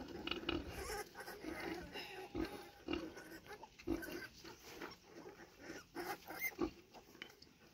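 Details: Street scene of a sow with her piglets: repeated low grunting and snuffling, fairly steady, over a continuous noisy background.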